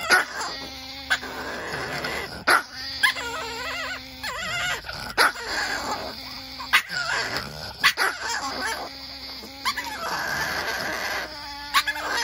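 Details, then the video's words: Chihuahua argument with long whiny growls rising and falling like a small engine, interrupted by frequent sharp yips and snaps. "Chihuahuas sound like tiny little vespa race!"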